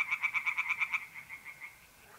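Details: Night chorus of a tree frog at a pond in north-east Italy, mid-April: about nine quick, loud pulsed croaks in one second, then fading softer pulses as a mole cricket's steady trill carries on.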